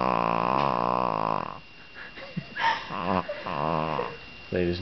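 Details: Limp female pet dog being held and petted, a rough snoring purr for about a second and a half, then a man speaking over short rasping breaths, before the buzzy rumble starts again.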